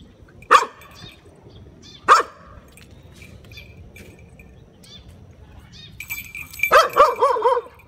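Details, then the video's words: A Shiba Inu squaring up to a cat lets out two loud, widely spaced barks, then after a pause a quick run of rougher, overlapping barks and yelps at the close. "DOG VS CAT REAL FIGHT/เมื่อเเมวเจอสุนัขถึงสองตัว แมวจะสู้หรือจะถอยไปดูกัน/เสียงสุนัขเห่า"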